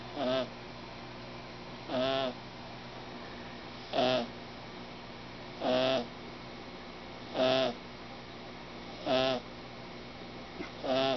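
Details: Small male kitten called Snoring snoring loudly, a crazy snore for such a little fellow; rhythmic raspy breaths repeat roughly every one and a half to two seconds, steady and buzzy, with a faint hum in the background.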